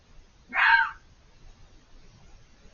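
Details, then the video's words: Single harsh, hoarse scream from a fox hidden behind a hedge, about half a second long, then quiet. "The chilling sound of a fox screaming"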